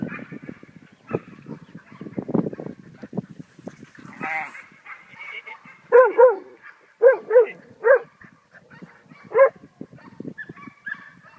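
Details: Australian cattle dog giving loud, tonal barks and yelps in short clusters of two or three, after a stretch of a person talking and some whining sounds.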